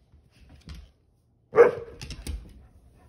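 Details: Pet Pit Bull Ranger, upset at his tail being grabbed, lets out a single sharp bark after a soft low huff, with faint clicks and rustling around it indoors.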